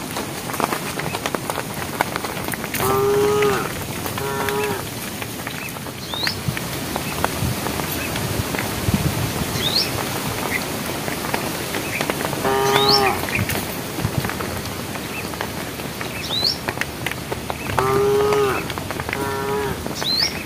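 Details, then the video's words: Herd of cows on a project road, calling to the herd as evening approaches: short nasal moos in pairs, repeated roughly every five seconds, with steady patter like rain and high upward bird chirps between. "thesound of cows calling the herd"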